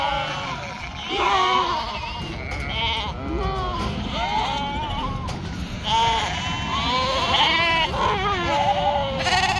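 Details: Farm sheep in northern Spain, near a struggling yearling ewe; many quavering bleats follow one another, some arching up then sliding down, often overlapping, over constant low-pitched background noise.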